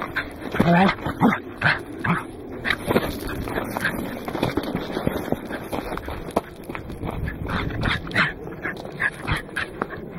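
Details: Goro, a Welsh corgi at the Mt. Oyama summit on 27 October 2009, Casio Exilim EX-F1: a burst of loud barks opens, then scattered yaps continue among human voices and outdoor noise.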